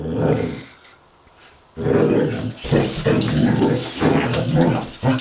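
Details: Wilma, a pet Basset Hound, play-fighting with a robot dog, gives a short growl, pauses, then launches into a long, throaty, pulsing growl that carries to the end.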